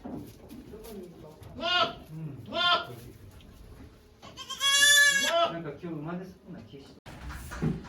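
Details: On 3 May 2023 at Yoshigake Farm, Japan, the goat Okayu is giving birth to twins with volunteers looking on. Two brief nasal bleats come first, then one long, strained, harmonic-rich bleat, all amid steady human chatter.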